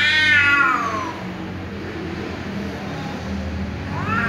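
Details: Angry tom cat meowing loudly because a ginger cat keeps meowing: a loud, harsh meow slides downward at the start, a low rumbling hum runs through the middle, and a rising meow returns near the end.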